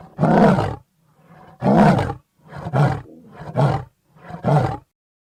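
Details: A lion's roaring bout opens with two long, deep, breathy roars, then three shorter grunting roars in quicker succession, each followed by a low rumble.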